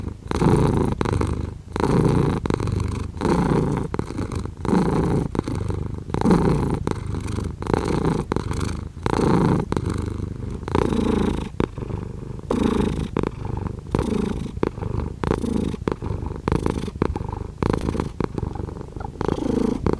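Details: Domestic cat purring steadily, a low rumbling buzz that swells and fades in regular breaths, roughly forty cycles a minute, with brief quiet gaps between inhale and exhale.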